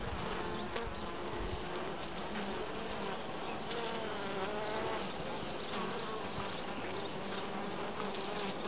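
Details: Honey bee colony buzzing over open brood cells holding larvae not yet capped; an unbroken low drone with faint wavering overtones and brief knocks.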